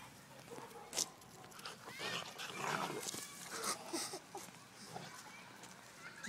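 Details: A dog squaring off against a puppy: short, scratchy yaps and growly bursts come in quick, irregular clusters, with a few thin, whining tones rising between them and soft human voices nearby.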